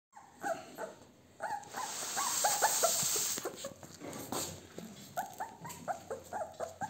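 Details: Blue American Bully XL puppy at a kennel in the Czech Republic, giving thin high whimpers and squeaks in quick repeated bursts, with a brief hissing rush of noise partway through.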